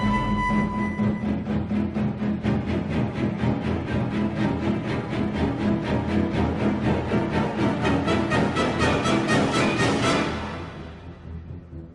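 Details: Orchestral music with strings and timpani plays in a steady pulse, then fades near the end; no animal voice is heard.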